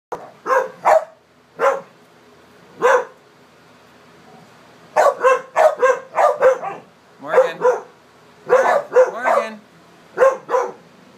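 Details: Dogs at play, a group of four including American Staffordshire, English Staffordshire and American pit types, one being a special needs dog; sharp barks in quick clusters, a two-second lull midway, then dense bursts of repeated barking.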